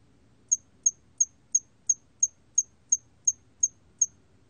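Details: Hairy cricket song, recorded 2020 for Korea's National Institute of Biological Resources: eleven short, sharp, high ticking chirps, evenly repeated about three times a second over a quiet low background hum.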